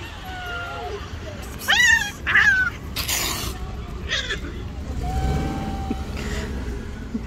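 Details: Two rival street cats, a white one and a tabby, clash angrily: short rising cries and wavering yowls break out, then a burst of noise like a slap, and a long low steady howl follows over traffic hum.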